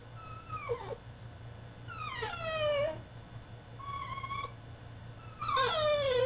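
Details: Male French Bulldog throwing a tantrum in his cage: a few drawn-out, falling whines sliding from high to low, with a short pause between them and a sharper, louder whine at the end, over a low steady hum.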